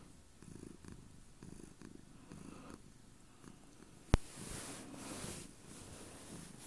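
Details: House cat on a bed with its owner purring strongly, a deep rhythmic rumble rising and falling in breaths roughly every second; a sharp knock past four seconds followed by brief rustling noise.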